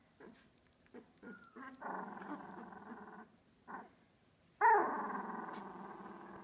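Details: Two-week-old Australian Labradoodle puppies of Olive's litter, Pine State Australian Labradoodles: soft grunts, then a sustained nasal whine, a pause, and a loud sudden squealing cry that trails into continued whining.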